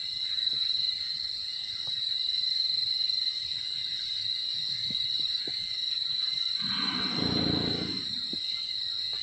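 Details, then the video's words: Wild Sumatran elephant snoring while asleep: a single rough, breathy rumble lasting about a second and a half, rising and fading, under a steady high insect drone and a few faint clicks. "Suara Dengkuran Gajah Liar Saat Tidur"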